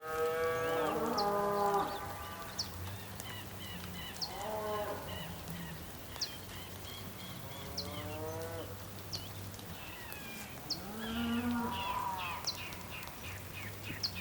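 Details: Bulls calling on the Patagonian plain in Tierra del Fuego, Argentina, on a rainy day: several long, harmonic moos, some falling, some rising then falling. A steady low drone runs underneath, with sharp, high bird chirps scattered throughout.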